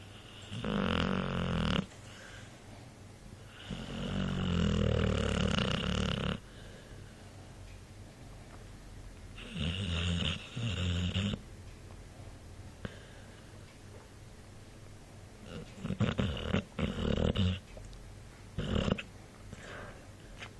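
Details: Mike the dog snoring indoors, uneven bursts of low raspy snoring alternating with quiet pauses, some snores broken into short rapid puffs toward the end.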